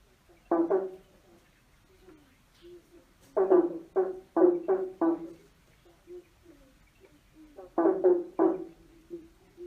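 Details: Frogs croaking under a bridge: three loud bouts of rattling, pulsed croaks, each a quick series of four or five notes, with softer croaks between them in an echoing space.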